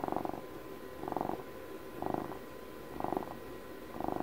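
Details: Pet cat of twelve years purring in loud rhythmic pulses, rough rumbling bursts roughly every second with short quieter pauses between, and a faint constant hum beneath.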